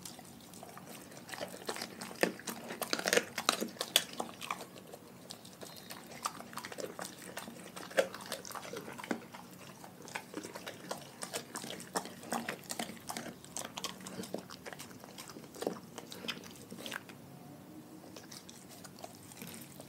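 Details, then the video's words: Pack of dogs eating a raw food diet indoors: dense, irregular crunches and wet chewing clicks, with louder bone-cracking bursts around the third and fourth seconds, continuing steadily over a quiet room background. "Dogs Eating Raw Food"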